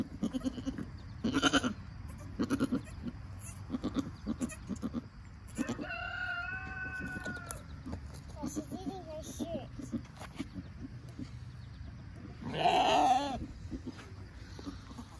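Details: ['Nigerian Dwarf goat doe and her newborn doeling around birth and first nursing; two wavering, harmonic bleats, a brief one near the middle and a louder one toward the end, amid rustling, clicks and low background noise.']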